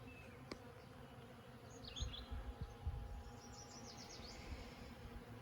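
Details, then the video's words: Bees at flowering lilacs give a continuous low buzz. Soft thumps and a sharp click are heard near the start, while distant birds chirp faintly in short high bursts. "This is the sound of happy bees!"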